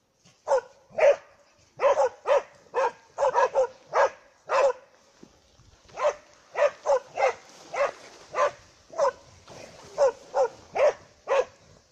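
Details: Two dogs holding a moose at bay with sharp, repeated barking, some quick doublets and steady spaced barks roughly every half second throughout.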